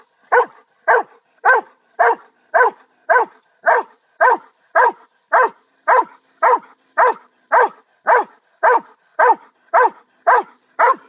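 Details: Pet dog barking in a very regular rhythm, about nineteen short, sharp barks at roughly half-second intervals, each dropping slightly in pitch at the end, against silence.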